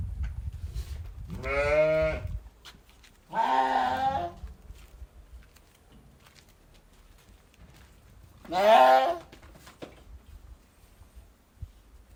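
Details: A flock of sheep bleating loudly: three separate long, harmonic, wavering baa calls, each about a second long, spaced a few seconds apart against a quiet background.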